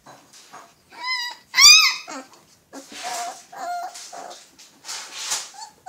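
Young Alaskan Malamutes call with thin, high-pitched whines that bend up and down, mixed with short squeaky yelps. Several pups seem to vocalise at once, producing a busy, overlapping chorus.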